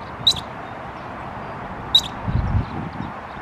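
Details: A squirrel chirping while flipping its tail gives three sharp, high chirps, each a quick harsh burst, about one and a half seconds apart over a low outdoor rumble.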